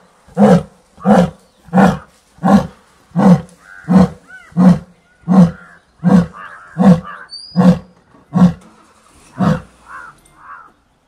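A lion gives a long series of deep, forceful grunting roars, one about every three-quarters of a second.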